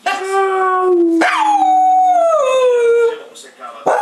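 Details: A female Cocker Spaniel howls in long, sliding tones that start high and slowly fall.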